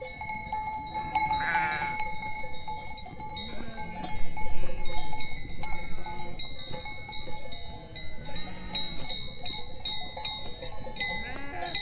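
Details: Sheep (Ovis aries) bleat in wavering, nasal calls over a steady background hum, with goats and sheep gathered together.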